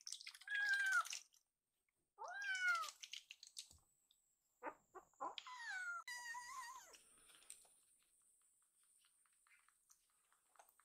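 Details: Two rescued baby kittens in foster care, excited by the smell of food and then demanding more milk, give high kitten meows: several rising-and-falling mews in quick bursts over the first seven seconds, then quiet with a faint steady high whine.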